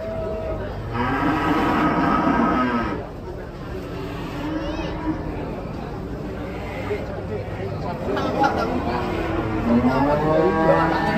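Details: Several cattle unloaded from a tilting truck bellow in long, rich moos, a loud one early, then quieter lowing and another drawn-out call late, over crowd chatter and engine-like rumble.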